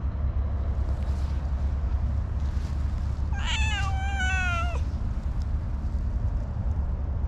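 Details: A single wavering, slightly falling meow from a shy orange tabby cat with a very cute voice, lasting about a second and a half amid steady low rumbling noise.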